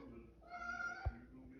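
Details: Scared orange cat being coaxed up the stairs gives a drawn-out, steady meow of nearly a second while a person repeatedly urges it on, with a brief knock partway through.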